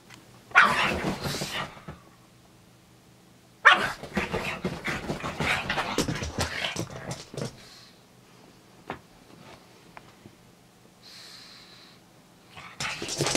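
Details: After his walk in the park, Pugsy the pug lets out sudden loud yipping, snorting outbursts. One comes early and a longer one follows around four seconds in, then scattered softer sounds and a final burst at the end.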